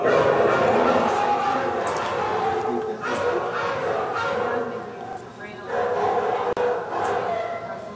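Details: Several Siberian Huskies react to a short piece played on a computer by howling together: a dense chorus of drawn-out, wavering tones that fades slightly midway, then builds again, with a sharp click near the end.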